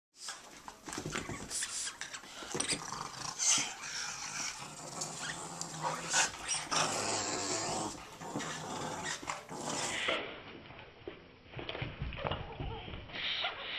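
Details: Two Boston Terriers growl and snarl in rough bursts while playing a tug-of-war game.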